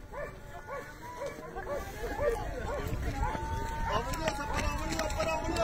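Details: During a hare chase, hunting dogs yelp in a rapid, fairly regular series of short arched cries, several dogs overlapping and growing denser toward the end over a low rumble.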